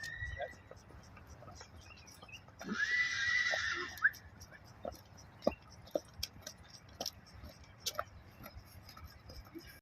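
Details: An angry Arabian horse in Qatar horse racing gives a short, harsh, high squeal amid scattered clicks and knocks.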